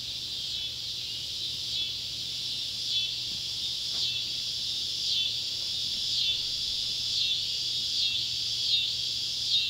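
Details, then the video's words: Ballard County, Kentucky, July 31, 2013: Neotibicen pruinosus and Neotibicen tibicen cicadas at sunset near an old tobacco barn give a high, shrill drone that gains steady rhythmic pulses, strengthening toward the end, with a single click near the middle. "Kentucky barn with sunset light and cicada sounds"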